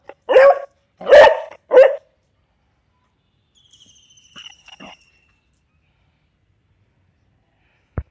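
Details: A Beagle on its second day in a dog hostel gives three loud, deep barks in quick succession. A thin, high whining tone follows after a pause, then silence and a single click at the end.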